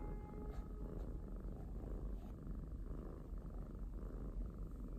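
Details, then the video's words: Pet kitten purring, a steady low rumble in even pulses, with faint musical tones sounding in the first second and a half. "找到了小貓咪呼嚕引擎開關！！|Found the kitty snore engine switch! !"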